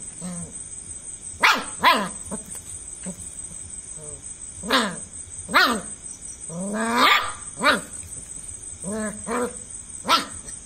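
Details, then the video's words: German Shepherd puppy barking at a cockroach, a string of about ten sharp, yappy barks spaced irregularly, some in quick pairs, over a constant high-pitched electrical whine. "cockroach vs German shepherd puppy"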